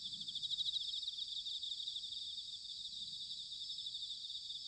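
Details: Bell crickets in autumn at Sanuki, Chiba Prefecture, Japan: a dense chorus of high, shimmering trills, with a slightly louder pulsed ringing near the start over a steady wall of overlapping insect song.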